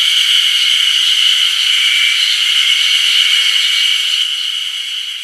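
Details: Ezo haruzemi cicadas in full voice on 1 June 2019 by the Ōkiri level crossing on the Kamaishi Line, Japan: a loud, continuous shimmering high buzz with a faint rapid pulsing, fading slightly at the end.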